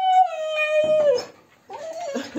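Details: Husky being brushed at a dog grooming salon in Ovcha Kupel, Sofia: a sustained, harmonic howl that slides slowly downward for about a second. After a short pause comes a second, wavering vocal phrase, in a small indoor room.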